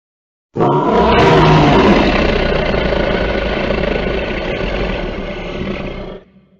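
A lion gives one long, deep, rumbling roar that swells quickly and then fades after several seconds.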